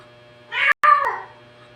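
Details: Cat described as talking indoors gives a single short harmonic meow, broken briefly by a dropout, over a faint constant low hum.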